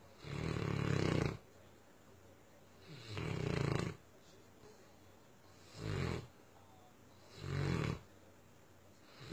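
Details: Myah, a Tosa Inu, with long, heavy, growling breaths lasting about a second each, four drawn-out low rumbles separated by brief pauses.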